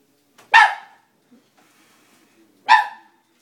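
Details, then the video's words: Two separate loud, sharp barks about two seconds apart from a Dobermann puppy startled by a stuffed toy, with near silence in between. "funny scared doberman"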